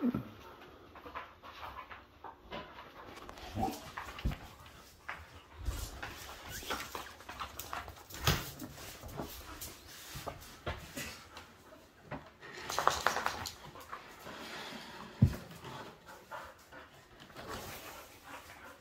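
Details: Indoor play in the evening between two dogs, a seven-month-old Bull Terrier mix and a seven-year-old Airedale Terrier. Padded thumps and scrabbling mix with short snuffles and huffs, and a sharp knock comes near the end.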